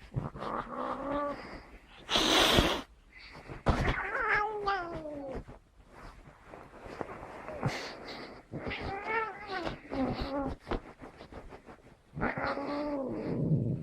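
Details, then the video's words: Angry cat giving several short, complaining meows that fall in pitch, scattered through a noisy room with rustling, bumps and a loud burst of hiss-like noise early on. "ANGRY CAT"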